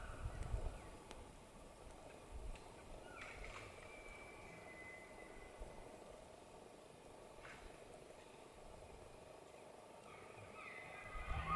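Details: A distant elk bugles a thin, high whistle that slides slowly downward, with a second rising note near the end, during the rutting season in the White Mountains of Arizona.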